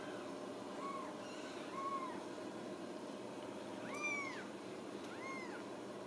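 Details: Cage-free Ragdoll kittens at a home cattery in central Kansas: four arching meows, the first two soft and the last two louder and fuller, rising then falling in pitch over a steady room hum.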